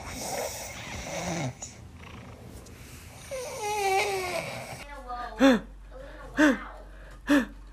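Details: Cat in a funny pet compilation: muffled voices and noise, then a drawn-out wavering meow, followed by three short clipped chirping meows spaced about a second apart.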